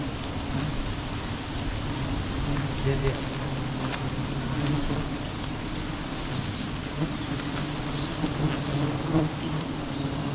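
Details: Bees buzzing around a huge wild beehive as it is cut during village honey hunting; a steady low droning hum with layered overtones runs throughout, with faint clicks and scattered background noise.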